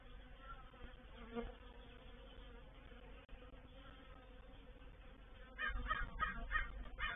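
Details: Honey bees of a reproductive swarm settling into a bait hive, Painted Peacock Manor, 04/07/21: constant humming drone, with a series of loud crow caws breaking in near the end.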